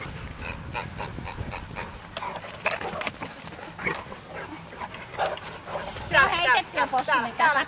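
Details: Great Danes playing together at Ventspils, Latvia, on 6.9.2015. The dogs give grunting, wavering growl-whines that build into a warbling run near the end. Busy Finnish chatter and shouts of 'enough' run throughout.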